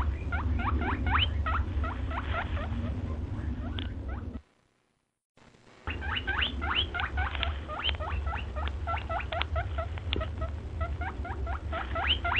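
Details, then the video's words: White rabbit giving rapid, sharply rising squeaks, several per second, over a steady low hum; the calling breaks off into near silence for about a second midway, then resumes at the same quick pace. "White Rabbit sounds"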